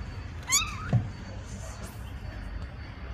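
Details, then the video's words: Mother cat meowing to ask for her kittens to be put in the nest: one clear rising-then-falling meow near the start, then a soft thump and quiet room background. "Mamãe gata mia pedindo para colocar os filhote no ninho"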